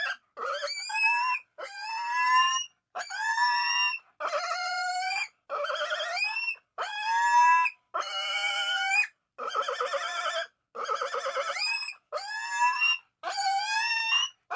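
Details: Pig squealing repeatedly: about a dozen short, shrill, wavering cries, each rising then falling, separated by brief silent gaps, in a quiet setting.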